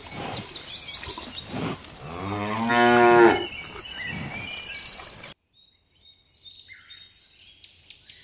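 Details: Cows in a lush green meadow searching for food: one loud, drawn-out moo of just over a second that swells and then falls away, with soft background rustle, followed by a quiet stretch of faint bird twittering.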